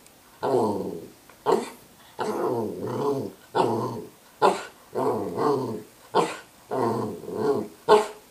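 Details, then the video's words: Dog vocalizing in a chattering pattern: drawn-out throaty growl-moans, each followed by a single clipped bark, repeating steadily with no other sounds. "Talking Dog- Barking Voicemail"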